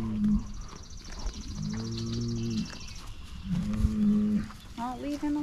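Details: Highland cattle in a herd excited at being fed fresh grass after a spell on hay; two long, low, steady moos with a harmonic stack, then a shorter rising call at the end, with a woman's voice nearby.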